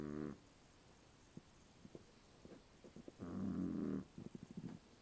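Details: Dog snoring in its sleep, reportedly louder than its owner: a brief snore at the start, then a longer buzzing, rumbling snore near the three-second mark, with soft snuffling clicks and breaths in between.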